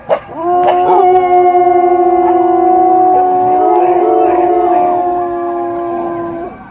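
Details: German Shepherd dogs howl at sirens together in long, steady, overlapping tones that waver slightly and hold for several seconds.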